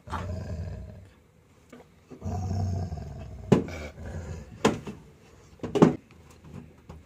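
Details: Labrador Retriever named Simba, a pet refusing to eat its food indoors, gives low rumbling grumbles in two long stretches, followed by several sharp knocks and clicks, with a man's voice nearby.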